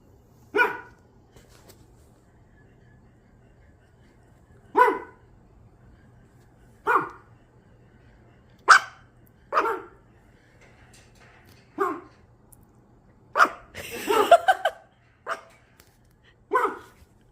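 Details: Pet dog giving single sharp barks spaced about two seconds apart, ten in all, with a rapid, ragged cluster of barks near the fourteenth second; quiet room otherwise.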